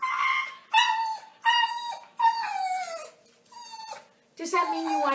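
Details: Chatty dog giving a run of short howling yowls, each held then sliding downward, five or six in quick succession with brief breaks, in a small room.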